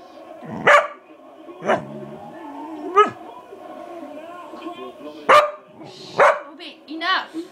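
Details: Indoor pet dog barking in irregular bursts, roughly one a second, some rising yelps among sharper barks, while a man's voice scolds it in between.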